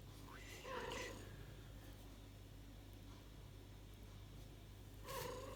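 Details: Mother cat with two tiny kittens indoors: two soft, thin mews, one near the start and one near the end, separated by a quiet stretch. A steady low hum sits underneath.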